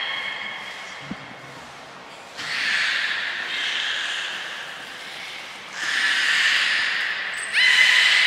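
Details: Captive belugas Hodoi, Gray, Nana and Nico during a training session at Port of Nagoya Public Aquarium, June 5, 2021: breathy, noisy bursts with faint tonal bands, coming in three separate swells, the last one sharper and brighter.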